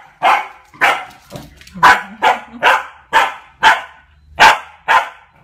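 A corgi puppy gives a run of sharp, high barks about every half second to guard its owner.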